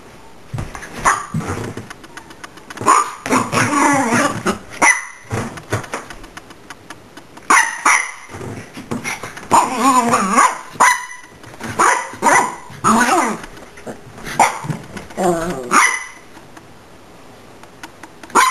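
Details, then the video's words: A Miniature Pinscher that hates being recorded gets upset with the camera, giving bursts of sharp, high barks mixed with whiny, complaining yips. "Miniature Pinscher gets upset with camera"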